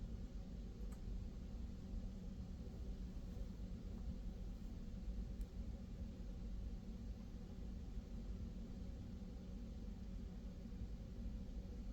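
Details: A steady low rumble, like a running vehicle or distant engine, fills the whole recording with no animal voice.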